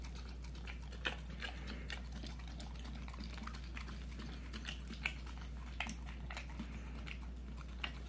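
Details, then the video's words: Indoors, a puppy close to a year old licks peanut butter, giving scattered moist clicks and smacks at an uneven pace, with a few sharper ticks and a continuous low hum behind. "puppy eating peanut butter"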